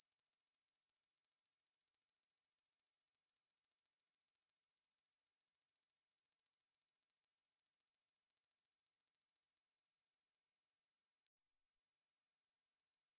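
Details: A large conehead katydid (Korean name wangmaeburi), recorded in 2020, gives a continuous, high-pitched, rapidly pulsed buzz with scarcely a break.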